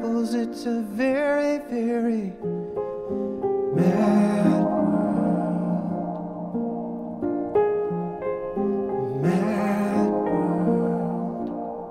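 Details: A slow, sad song with singing voices and piano, with no animal sound.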